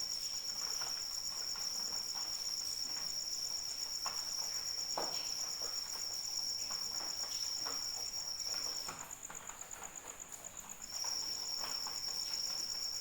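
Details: Cricket calling during rain: a steady, high, shrill trill with fast pulses runs without break, fades out for about two seconds near the end, then resumes, over soft patter of rainfall.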